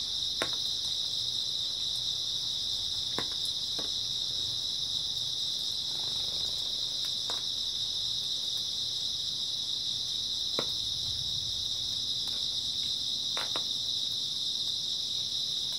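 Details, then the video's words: Grass insects on an early autumn night, a dense continuous chorus of high, steady trilling that never breaks, with a few faint clicks and taps scattered through the background. "초가을 밤부터 새벽까지 백색소음 풀벌레 소리"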